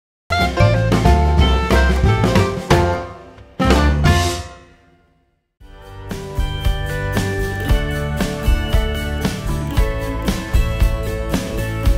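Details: Drum-kit music with bass drum and snare, briefly fading to silence midway before resuming, with no animal sound heard.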